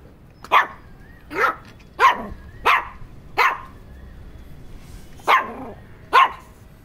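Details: An irritated Shih Tzu gives sharp, high barks, one roughly every second, with a short pause midway.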